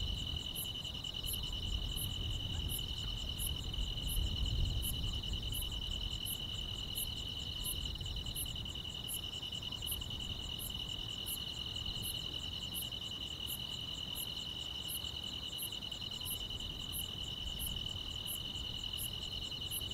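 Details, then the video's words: A rural summer night filled with grass insects: constant high shrill trilling layered with evenly timed sharp chirps roughly every 0.7 seconds, and a low soft rumble swelling briefly near the start. "여름밤의 포근한 풀벌레 소리"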